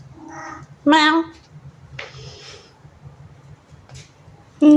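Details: Ziggy, a talkative pet cat wanting food before it is time, gives one loud wavering meow, then a short meow at the end, with a person's voice speaking softly between them.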